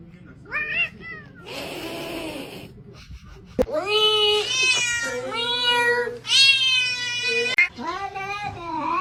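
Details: Domestic cat giving a run of loud, drawn-out meows, each a rich harmonic wail that rises then falls, about five in nine seconds, after an early breathy rasp, with human voices faintly behind.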